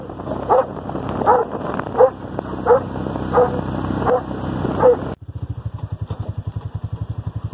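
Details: Doberman Pinscher running off road on a mountain; short barks repeated about every 0.7 seconds over a steady engine drone, then a cut to rhythmic engine or panting pulses.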